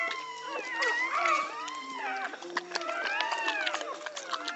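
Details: Pit Bull dogs during a birth in Egypt: many overlapping high, arched whining squeals rise and fall over one another, with sharp clicks and knocks in between.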